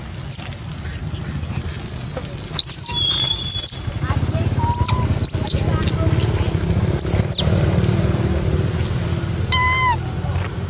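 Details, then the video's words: Adorable baby monkeys, Dodo among them, screaming for food during feeding: a run of piercing, very high arched squeals in quick succession, then a brief harmonic-rich tonal cry near the end, with a constant low hum behind. "Dodo scream loudly request food from us"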